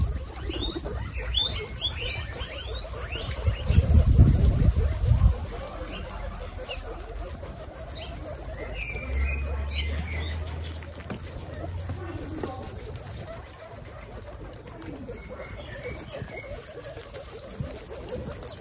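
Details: Female guinea pigs from three generations eating lettuce: rapid overlapping crunches and rustling leaves throughout, louder bursts of chomping early on, then softer continuous nibbling.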